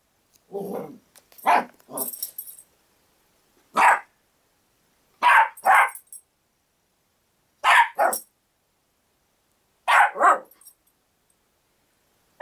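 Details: Six-month-old Havanese-poodle cross puppy barking while playing with a cat indoors: short sharp barks in pairs and singles, about every two seconds, some with a rough growly edge, across twelve seconds.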